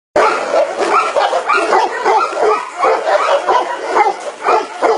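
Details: Tibetan Mastiff barking in a rapid, uneven string of harsh, booming barks, about two or three per second, with little pause between them.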